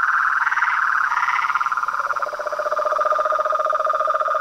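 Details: Toads, frogs and tree frogs chorusing at dusk at a small reservoir in front of a house veranda, unafraid of the light. Several callers overlap in dense pulsed trills, one higher band wavering and a lower buzzy band steady beneath.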